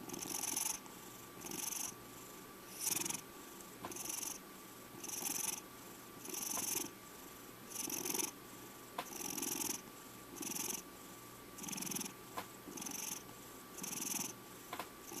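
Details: Five-year-old pet cat Checkers purring steadily indoors, a rhythmic rasping purr pulsing roughly every second and a quarter, about a dozen breaths in a row, even and continuous.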